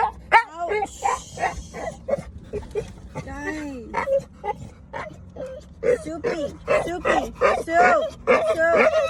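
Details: An American Bully puppy makes odd, rising and falling whining yelps in quick bursts, a sound its owner says they've never heard it make before, with a person talking over it.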